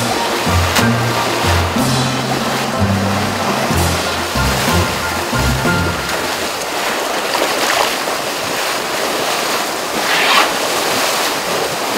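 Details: Music with low bass notes plays over a broad rushing noise, and no animal call stands out.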